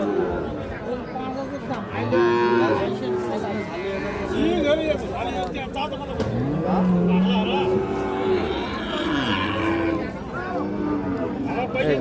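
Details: Sahiwal bull calves and other cattle at the Ambari market, Dinajpur district, 26 March: a string of short, irregular moos, some rising and some falling, about a dozen a minute, mixed with people talking and general market noise.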